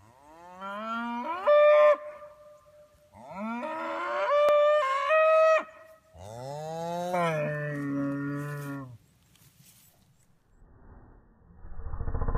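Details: Dexter cattle on a farm, a calf separated from its mother while the cows are turned back in with the bull: three long, loud harmonic moos, some rising then holding steady, each lasting about two seconds, followed by rustling noise.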